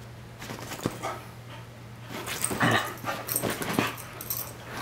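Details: Two rescued dogs about two years old, a black Australian Kelpie named Audi and a bulldog mix named Shelly, playing together as pets; scuffling play noises with short growly whimpers and yips over a steady low hum.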